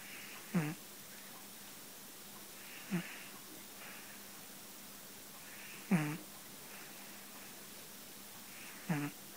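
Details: Tetsu-kun, a pet cat fast asleep and snoring: four short, raspy snorts with a low rumble and a breathy hiss on top, coming about every three seconds, with quiet steady background hum between breaths.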